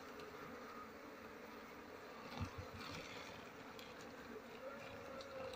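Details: Kept honey bees at harvest time, as durian blossoms open: a low, even hum of many bees runs without pause, with a brief thump of handling noise midway.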